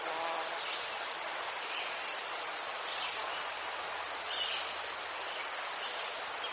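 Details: Crickets in Ukraine among chrysanthemums give a constant shrill rapid trill, overlapping callers forming a continuous high chorus, with a brief low buzzing sound at the very start.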